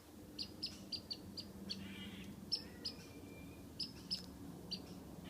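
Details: Squirrel in a tree taunting a cat with whistled calls: scattered high, sharp chips in small groups, plus a faint drawn-out whistle, over steady low background noise.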